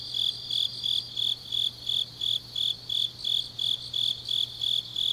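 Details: Night-time grass insect song in deep autumn, Changnyeong, Korea: shrill rhythmic chirps about three per second above a constant high trill from other insects, and a faint steady low hum.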